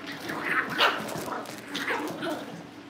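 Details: Young Cavalier King Charles Spaniels in a home litter awaiting family pick-ups give a short run of squeaky, overlapping yips and barks, loud and close, with a faint hum beneath.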